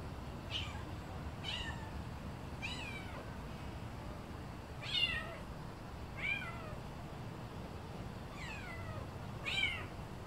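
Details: A tiny kitten, smaller than a calico kitten, meows about eight times in ten seconds. Each meow is high and thin and slides downward, with irregular gaps between them. A low indoor rumble sits underneath.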